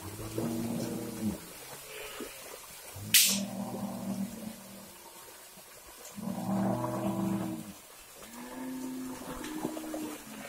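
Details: Mixed-breed herd cattle crowding into a river as herders shift their grazing location; three drawn-out, low harmonic moos roughly two to three seconds apart, interrupted once by a sharp splash or click.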